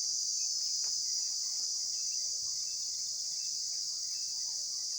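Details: Short stretch of constant, shrill insect droning at an even level, with faint scattered chirps underneath.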